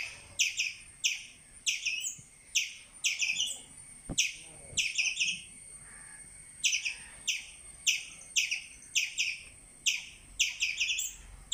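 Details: Chirping squirrel: steady series of piercing short chips, about two each second, sometimes clustered into rapid doubles, with little else audible.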